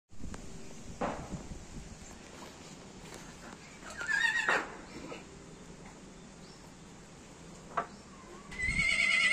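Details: A horse on a farm gives a short, wavering whinny about four seconds in and another at the very end, over a steady farmyard hiss with scattered knocks and thumps.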